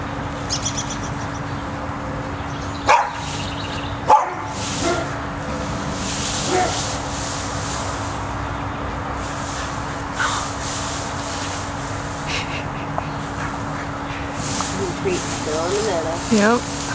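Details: Cocker spaniel Max, fearful of the tunnel holding his treats, makes scattered soft barks and a few knocks, ending in a run of wavering, rising-and-falling whining yips, over a steady background hum.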